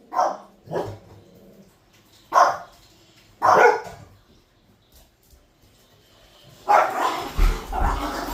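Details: Two dogs barking wildly give sharp, high-pitched Pomeranian barks in short bursts, with a louder, noisier flurry at the end.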